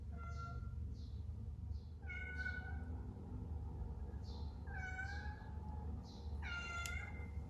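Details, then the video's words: Domestic cat meowing indoors: three drawn-out, tonal meows, each rising then falling, about two seconds apart. A steady low hum and faint, repeated high soft chirps run underneath. "What Do You Do When The Cat Makes This Noise"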